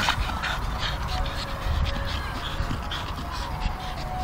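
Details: Staffordshire Bull Terriers playing tug of war growl low and rough, with a thin whine drifting above.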